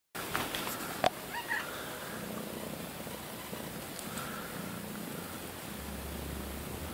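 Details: Pet cat purring indoors, a soft steady low rumble beneath constant background hiss, with a sharp click early on.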